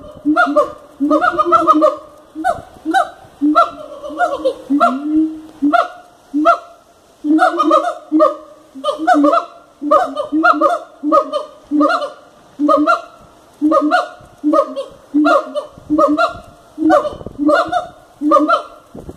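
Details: Siamangs at a wildlife park give loud, honking barks in rapid succession, roughly one each second.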